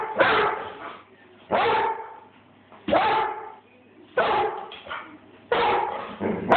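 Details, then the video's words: Airedale Terrier directing its barks at the person filming, caught on a phone: five forceful, hoarse barks at steady intervals of about one and a quarter seconds. "THE AIRDALE BARKING AT MOI"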